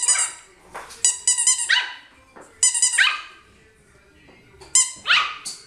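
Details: Puppy barking indoors: high-pitched, sharp yapping barks in quick bursts of two to four, separated by short pauses, with a faint squeak between bursts.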